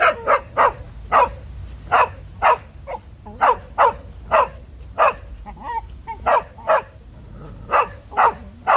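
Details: A beagle playing with another dog makes a fast-forward-tape-like sound; the run of short, sharp barks and yips in quick bursts comes from a third dog watching the play.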